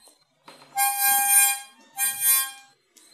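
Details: Indoors in a small room, two long bright harmonica chords sound with a short gap between them and no animal voice.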